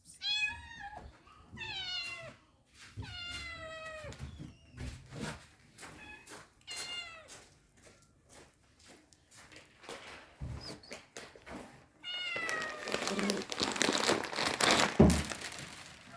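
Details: Cats at feeding time meowing in clear, falling, tonal cries, repeated every second or two, then a pause with scattered clicks before a louder stretch of meowing over rustling noise.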